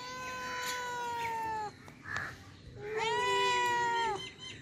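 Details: Cats meowing: two drawn-out, level meows about a second and a half each, with bright harmonic stacks, separated by a brief pause with faint clicks, over a soft background hiss.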